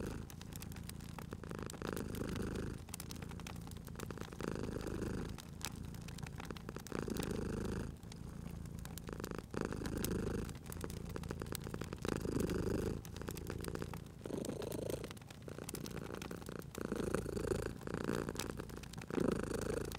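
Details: Sleeping cat purring beside a crackling fireplace: a continuous low rumble rising and easing in breaths roughly every two seconds, overlaid by frequent crackles and pops from the fire.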